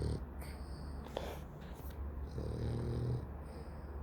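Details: A sleeping dog snores loudly, a low gravelly rattle at the opening and a longer, buzzier snore in the second half, with soft breathing and faint room noise between.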